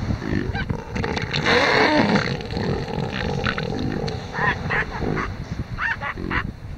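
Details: Two male elephant seals fighting over a harem of females on a beach at Sea Lion Island, Falkland Islands; loud, harsh, pulsed roars in rapid throbbing bursts, rising and falling in strength, with grunting beneath.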